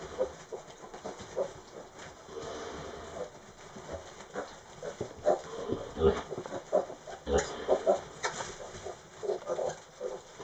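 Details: Tamworth pig on Raasay making its bed, giving short rough grunts and snuffling snorts in irregular bursts, some close together, others spaced by a second or more, with rustling between.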